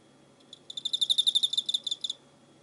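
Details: Cricket recorded 24 November 2016, giving a single train of about twenty quick, bright, evenly spaced pulses lasting around a second and a half, swelling then fading, against a quiet low background hum.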